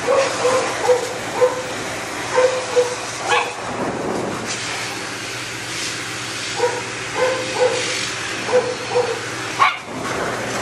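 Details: Matted Shih Tzu under a grooming dryer, a dog that bites when in pain. Clusters of brief, pitched whining cries come in two runs, early and after the sixth second, over constant blower noise.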